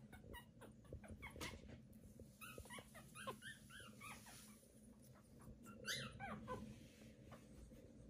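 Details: Newborn Pomeranian puppies, day 18, giving a run of thin high squeaks and short rising-falling whimpers in loose bursts, with soft rustling and a low steady hum underneath.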